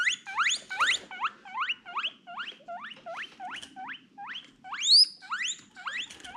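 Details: Pet female guinea pig in a noisy mood, giving a rapid series of short rising squeaks about three per second, each sweeping sharply upward; a louder, higher squeal near the end, with soft rustling below.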